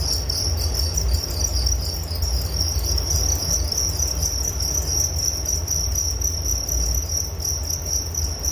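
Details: Crickets chirping as a soothing nature sound, a steady high ringing trill of quick pulses, several insects overlapping, with constant low-frequency background rumble.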